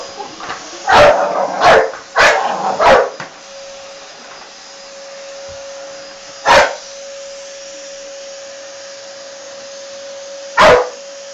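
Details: American Staffordshire Terrier attacking and smashing a running vacuum cleaner: a burst of four quick, harsh barks within two seconds, then single barks about four seconds apart, all over the steady droning hum of the machine.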